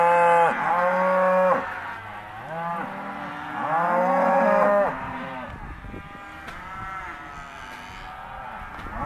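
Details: Hereford and Careta cows, half-tooth, in a sale lot; two strong, long moos dominate the first five seconds, each rising and falling, followed by quieter scattered lowing from the rest of the group.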